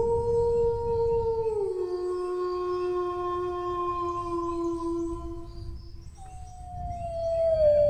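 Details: Dog howl held as a steady tone that drops to a lower sustained pitch for several seconds, breaks briefly, then returns higher and glides gently down, with low-frequency rumble throughout.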